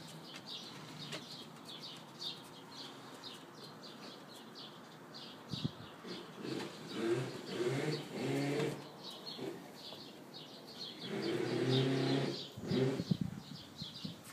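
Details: Two young Siberian Huskies at play, Bella at 4 months and Hunter at 8 months, with Bella always loud in play: low, tonal growl-whine bursts swell around the middle and again near the end, over steady high bird chirping.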